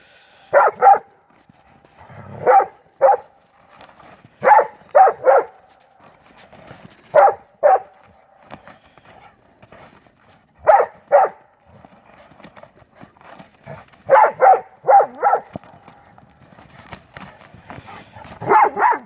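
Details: Playful barking from pit bull mastiff brothers fighting over a ball in the snow during the 2016 Maryland blizzard; loud barks come singly, in pairs and in triplets every second or two, with quiet snow scuffling between.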